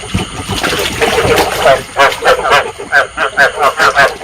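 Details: Rice field frog breeding calls used as a trapping lure: a blurred chorus gives way to a clear run of short croaks repeated about four times a second, with faint splashing underneath.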